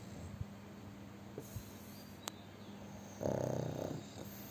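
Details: Chubby pug snoring heavily in its sleep: a rattling, fluttering snore burst lasting about a second comes late, after a few faint clicks and a steady low drone.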